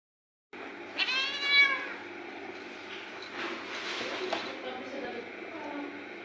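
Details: Domestic cat giving one clear, drawn-out meow with rich harmonics, followed by quieter mewing sounds and faint background noise indoors.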